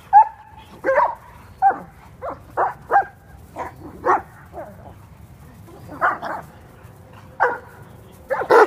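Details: Kuvasz dogs romping in California; short, sharp barks and yips in uneven bursts, about a dozen over several seconds, some with a brief whine between.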